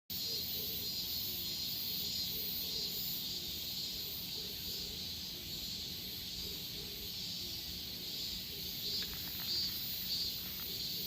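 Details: Korean cicadas in a steady, shrill high-pitched drone that barely changes, with a second thinner hiss above it and a low rumble of background noise underneath.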